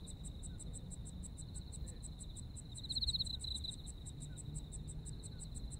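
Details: Japanese autumn insect chorus: an unbroken high-pitched trill and a quick, metronomic series of higher chirps, one caller briefly growing louder and more warbling around the middle, with a faint low hum behind.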